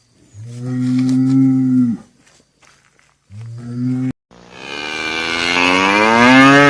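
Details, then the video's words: Deep, steady cattle moo lasting over a second, a shorter second moo, then a long, loud, rising bellow that strains higher and grows raspy toward the end. "BOI BERRANDO | SOM DE VACA | SOM DE BOI | TOURO BERRANDO | BOI MUGINDO | VACA MUGINDO - SOUND OF COW"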